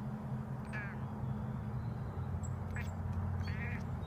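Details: Domestic cat, excited at seeing a bird, giving three short nasal chirping bursts with stacked harmonics, each under half a second, spread over four seconds above a steady low electrical hum.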